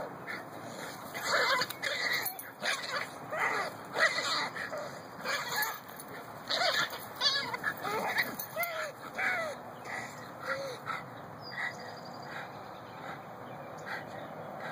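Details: Maddy, a Miniature Pinscher, attacking a little groundhog in June 2015: high-pitched, ringing yaps and yelps come in quick bursts through the first ten seconds, then thin out into quieter, scattered calls.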